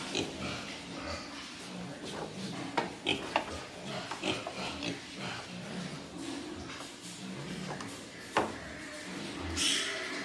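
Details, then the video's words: At Cô Út farm, breeding wild boar produce low, irregular grunts and snuffles. Sharper clicks and clatters break in now and then, and a louder squeal-like burst comes near the end over steady background noise. "Heo RỪNG GIỐNG NÔNG TRẠI CÔ ÚT"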